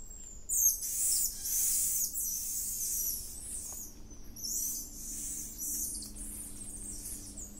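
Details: Wild, endangered golden lion tamarins in the Atlantic Forest outside Rio de Janeiro give very high, thin, bird-like trills and whistles in bursts.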